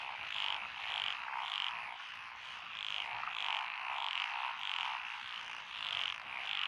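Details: Chorus of frogs in lotus rice paddies on a country road, Echizen City, Fukui, Japan, 12 June 2021, among them wrinkled, black-spotted pond and forest green tree frogs; loud croaks repeat nearly twice per second, swelling and fading over a dense chorus.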